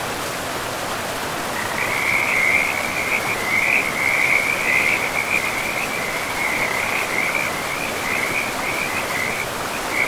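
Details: After a quiet first second and a half of river noise, forest frogs by a river break into a sustained high trill of rapid pulses that holds steady, with brief dips, under the broad roar of flowing water.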